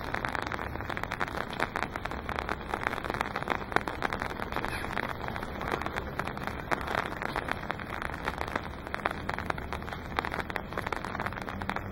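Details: Dense crackling like rain on a surface fills the clip over a steady hiss.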